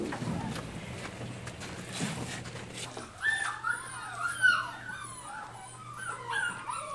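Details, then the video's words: Weeks-old puppies at a puppy farm, huddled without their mothers in disused trailers amid snow and freezing cold, give thin, quavering whimpers and bending whines, clustered after a few seconds of muffled noise and a low steady hum. "and there's snow on the ground, yet inside I can hear whimpering. You can hear the dogs now. Yeah, there's pups in there, but for definite."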